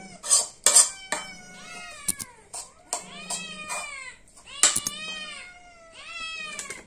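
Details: A hungry cat begs for food with a run of about five meows, some rising before falling away, mixed with clattering dishes and clinking cutlery.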